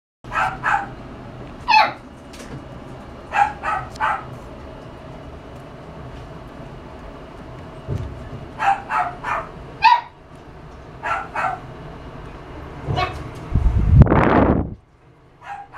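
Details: Miniature Schnauzer barking in sharp, high yaps, mostly in quick pairs or triplets with pauses between, about a dozen in all, ending with a loud rustling thump.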